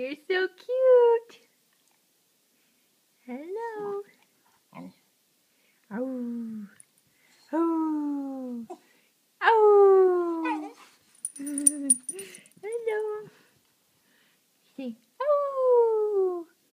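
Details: Simon the dog "talks" indoors when especially happy, giving a series of short moaning, yodel-like cries that each start high and slide downward, spaced by pauses, with a brief human voice in between.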